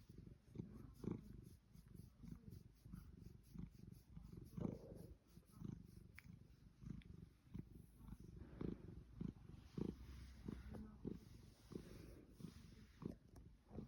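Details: A Savannah cat named Pushkin, in ecstasy during a major fussing session, purrs steadily, a low rumbling pulse with soft rhythmic breaths.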